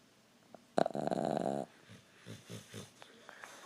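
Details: A Boston Terrier foster dog snores with a loud, rattling nasal wheeze, then softer rhythmic breaths.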